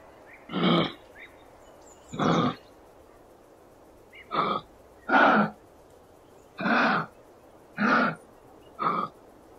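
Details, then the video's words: Kangaroo vocalising, presented as from the Australian wild: seven short, harsh, breathy grunts, each under half a second, spaced irregularly one to two seconds apart over a quiet background. "Gerçek Kanguru Sesleri"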